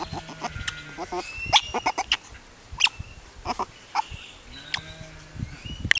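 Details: Baby river otter making happy noises: quick high chirps and squeaks, some with short whistled tails, in irregular bursts throughout, with low handling noises underneath.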